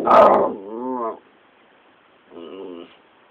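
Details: Patterdale terrier pup, described as fearless, barking at a caterpillar: a sharp bark, then a wavering, whining yelp. After a short silence comes a second strained, whiny yip.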